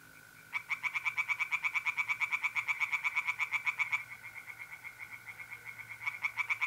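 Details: Singing tree frogs in a pond, north-east Italy, on an April night: after a brief lull, a long burst of regular rasping pulses begins and fades, then resumes, with mole crickets trilling steadily underneath.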